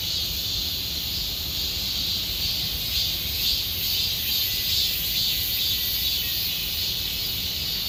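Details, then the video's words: Cicadas in Gomsol Nuri Forest, Sihwa district, late in summer: a shrill, continuous buzzing chorus with gentle throbbing swells every second or so, over faint low background noise. "곰솔누리숲의 매미소리 Cicada sound of Gomsol Nuri Forest"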